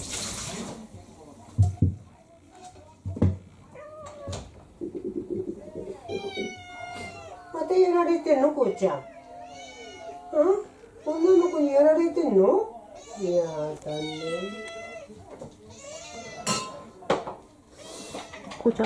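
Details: Indoor house cats: a female mixed-breed cat of about three to four years launches a fierce attack on a male of about seven. Drawn-out, wavering yowls and growling cries with rich harmonics come in bursts over the middle section, with a person talking throughout.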